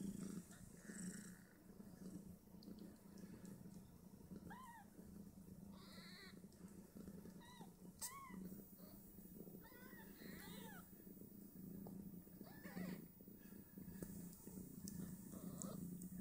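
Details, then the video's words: Five two-day-old Snowshoe Siamese kittens nursing on their mother and fighting over teats: faint, short, rising squeaky mews at scattered intervals over a steady low hum and soft rustling. "Five Snowshoe Siamese Kittens"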